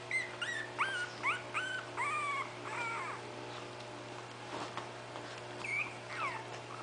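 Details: Bitsy's five 20-day-old puppies poking around while waiting for their mother to feed them; high, thin whines and squeals rising and falling in pitch, several in the first three seconds and a few more near the end, over a steady low hum.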